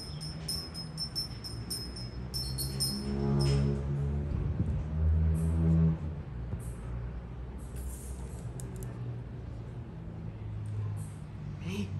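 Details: Background music with jingling, tambourine-like taps runs over a low indoor hum, and no animal call can be picked out.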